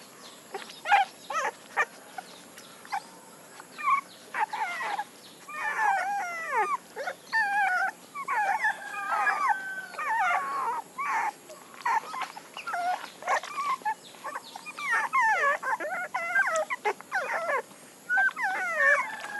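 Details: Several puppies whine and yip almost continuously, overlapping thin wavering squeals and short high yelps that grow busier after the first few seconds, with steady low room noise underneath.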